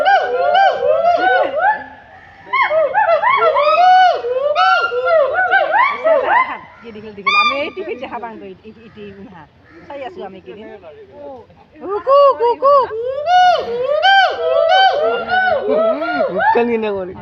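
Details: Gold and black monkeys at Assam State Zoo, Guwahati, give loud whooping calls: rapid arched notes rising and falling in pitch. Several voices overlap in bursts, with a brief lull near the middle before the calling resumes strongly.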